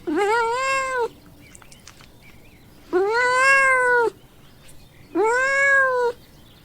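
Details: Pet cat giving three sustained, bright meows with a slight rise at onset, separated by pauses of about a second, faint background rustle between calls; part of a children's farm-animal sound lesson.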